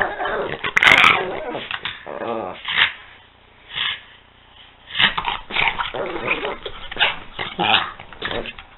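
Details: Peanut and Daisy, two pet dogs, wrestling in play. Rough rumbling growls come in bursts of about a second, one sharp yelp near the start, then steady rhythmic snarling that swells and fades over several seconds.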